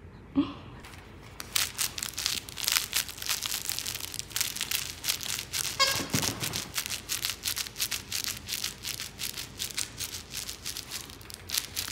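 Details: Rapid crinkling and tearing noises fill a small indoor room, with faint background speech and no animal voice.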